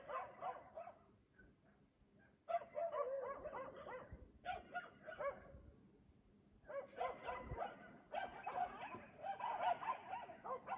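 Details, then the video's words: Nighttime dog at 3 AM in Aliseda (Los Galaperos), barking every night while the owners sleep; dense volleys of rapid barks break out after quiet pauses, then stop and start again, against faint background hum. "Ladridos de perro a las 3 AM"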